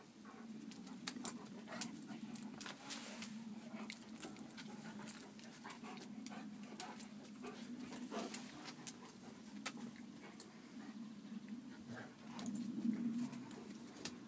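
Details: Daily competition between Kuvasz dogs Hunok Gyöngye Bársonyka and Megyeri Nomád Csatár, recorded 4 March 2014; an unbroken deep, rasping rumble continues for fourteen seconds, rising louder near the end, amid frequent clicking scuffles.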